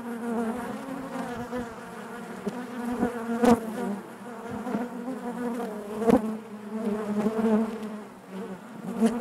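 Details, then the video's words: Honey bees humming together inside the hive: a thick, even buzz with rich overtones and gentle surges in volume, punctuated by a few sharp taps around the middle and later. "bees therapy hive natural buzzing sound"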